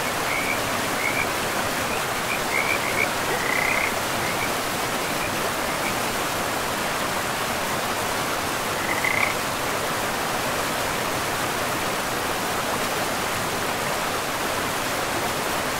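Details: Frogs by a river in a pristine forest give a loose cluster of short, buzzy trills early on, then a single call later, half-buried in the steady rushing roar of flowing water.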